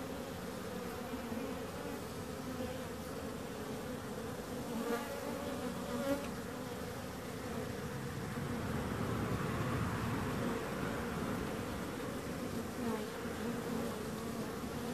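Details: Bees buzzing steadily, a dense droning hum with bands around 250 and 500 pitch levels and overlapping wingbeats, swelling slightly louder in the second half.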